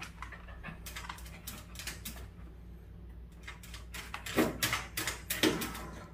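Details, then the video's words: Dachshund reacting to a puppy stuck beside an air conditioner: soft scattered noises give way, near the end, to about four sharp, loud bark-like bursts a second apart. "에어컨 사이 낀 강아지를 본 닥스훈트 반응?"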